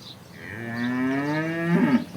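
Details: Moo from a local Banaskantha cow at a farm in India: a drawn-out, richly harmonic call that slowly rises in pitch, then breaks and wavers at the end. It fills the whole two seconds.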